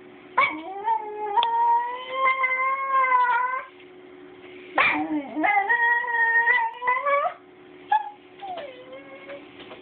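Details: Basenji puppy that does not really bark, making strange sounds: long wavering yodel-like howls, rising at the start then held and quavering, three drawn-out phrases of about three seconds with short breaks, plus a low background hum.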